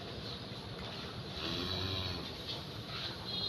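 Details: Steady broadband rumble like an engine or boat motor, with wind-like hiss and no animal calls.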